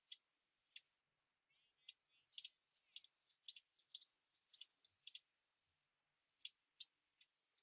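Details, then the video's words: Sickle-bearing bush-cricket (Phaneroptera falcata) making its thin click sound, said to be hard to hear outdoors: sharp, very high, dry ticks, single at first, then a quick irregular burst of about a dozen, then sparse ticks again, over silence. "クリック音 ツユムシの鳴き声"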